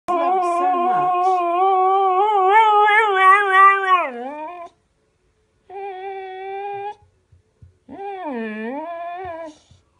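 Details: Dog howling while staying away from home because it misses its absent owner: one long wavering howl of about four seconds, then two shorter, falling howls after brief pauses, with faint clicks between them.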